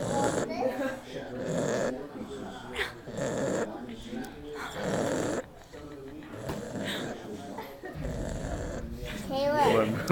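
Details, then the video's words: An overweight pet Pug snores while awake, making rough, rasping breaths that repeat roughly every second, with people talking nearby. "Fat Pug snoring while awake"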